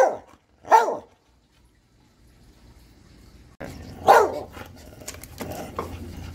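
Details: Dog gives two separate sharp barks early on, then a quiet stretch before a louder bark against a noisier background with lower rumbling sounds and scattered clicks.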